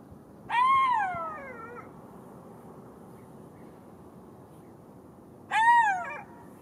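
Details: Two drawn-out golden jackal howls, each a wavering wail that lifts then descends, the first longer than the second, about five seconds apart against quiet background noise.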